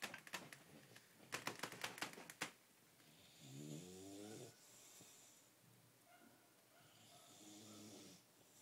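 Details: Mozart, a dog five days short of his first birthday, snoring while asleep. A run of sharp clicks opens, then two rough, droning snore breaths with stacked harmonics follow, separated by quiet pauses, indoors.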